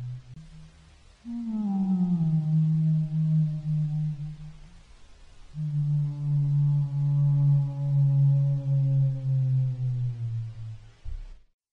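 A humpback whale sings two long, low, tonal moans, each held for several seconds and sliding slightly downward.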